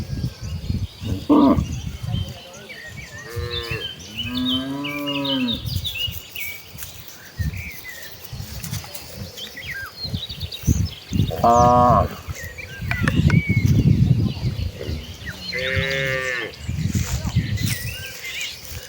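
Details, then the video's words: Village cows walking in a group to the rice fields for fresh grass: several moos, some short and some drawn out, spread over the recording amid heavy trampling and rustling, with scattered birdsong. "Rombongan sapi lembu jinak yang sedang menuju ke ladang, suara sapi moo"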